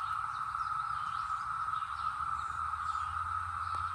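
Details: Brood X periodical cicadas, emerged after 17 years underground, in the North Georgia mountains in 2021, fill the air with a steady, unbroken mid-pitched drone that neither rises nor falls.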